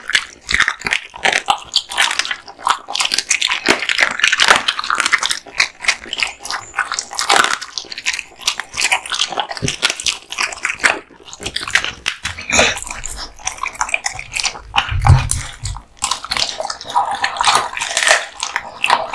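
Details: Male American Bully dog chewing raw meat and bones: steady stream of crackling bites and wet mastication, irregular clicks and crunches, a brief low thump near the end, indoors.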